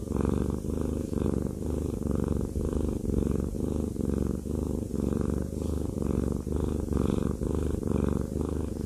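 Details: Indoor domestic cat enjoying a massage, producing a steady deep purr in regular pulses near one per second, accompanied by soft brushing strokes of the hands.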